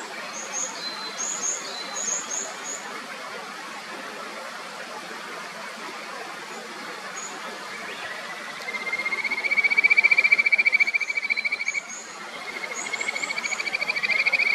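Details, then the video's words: Kajika frogs in the upper Natori River near Sendai give sweet, bird-like rising whistles that run into trills over a rushing clear stream, with birdsong around. "清流の歌姫 カジカガエルの鳴き声 歌合戦 せせらぎの音 鳥のさえずり Clear stream diva song battle"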